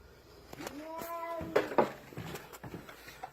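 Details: Domestic cat blocking its owner from passing down the stairs, staring intently; one drawn-out, low, wavering yowl lasting about a second, with a man's voice and footsteps around it indoors.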